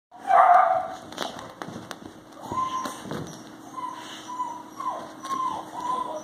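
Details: Alapaha Blue Blood Bulldog, an eight-week-old male puppy, playing with an adult and a Chihuahua on a farm: one loud whiny yelp, then a string of short high whines and squeaks amid thumps and scuffling.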